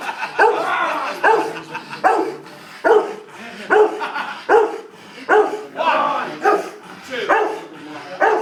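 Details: Dog barking during a dangerous dog handling course at Pittsworth on 28 May 2012, around a bite: steady series of sharp barks roughly every second, with people talking underneath.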